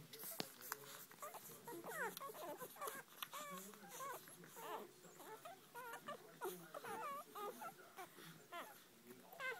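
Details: Five-day-old Irish Red Setter pups, born the previous Thursday, feeding with their mother; many overlapping high squeaky whimpers and squeals that bend up and down in pitch, short calls crowding one another continuously throughout.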